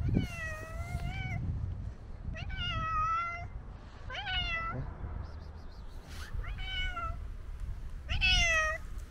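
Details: An old male tabby cat on a snowy day gives repeated long, wavering meows a second or two apart, each with a slight rise and fall, over a low background rumble. These are plaintive cries from being very hungry.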